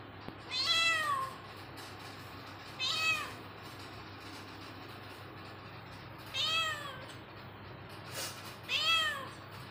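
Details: Cat meowing: four clear, rising-then-falling meows spaced two to three seconds apart, each short and tonal, over a low steady background hum.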